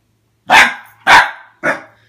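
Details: Adult male Pembroke Welsh Corgi, six years old, barking indoors at a pair of boots that intimidate him; three sharp, loud barks spaced about half a second apart.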